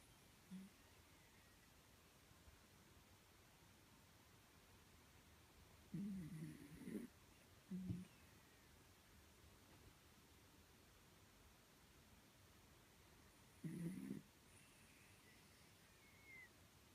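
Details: Sleeping miniature dachshund indoors, snoring in deep sleep: short low rasping snores spaced several seconds apart, two longer bursts near the middle and one near the end, quiet room otherwise.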